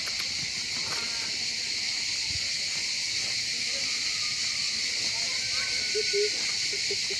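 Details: A dense chorus of cicadas in every tree gives a steady, high, hissing buzz during a very hot day in a park at Six-Fours, southern France.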